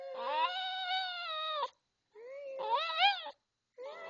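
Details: Maltese dog Sparky "singing" "I love you" with a sustained, steady, tonal wail of about 1.6 seconds, then a shorter rising and wavering note, and the start of a third, all clear and indoors-quiet.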